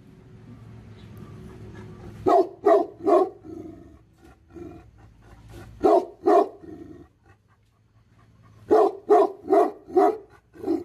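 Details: Tibetan Mastiff (Bhote Kukur), Nepal, barking angrily in three separate volleys of three to five deep barks, a low rumbling hum beneath the quieter gaps.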